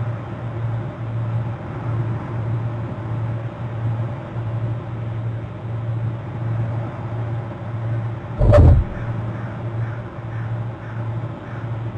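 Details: Steady low vehicle engine hum with a brief thump near the end; no animal calls are heard.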